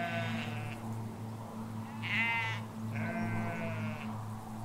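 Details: Ewes and lambs in a sheep field in the Hampshire countryside, England, recorded from a hedge away from the road. A faint early bleat is followed by two clear, quavering, nasal bleats, the second longer, over a steady low rumble.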